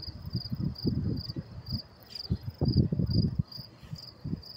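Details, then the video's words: Crickets chirping around 10:30 p.m. in New York City, May 28, 2024: a high, metallic pulse repeats about every half second while low, muffled bursts of urban noise and voices rise and fall underneath. "sound of crickets chirping"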